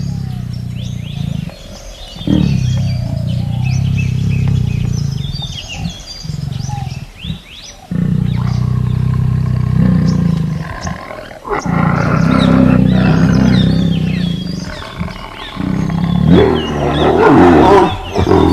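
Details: Tiger giving long, deep rumbling roars and growls in sustained bursts of several seconds, separated by brief pauses, with faint bird chirps higher up in the background.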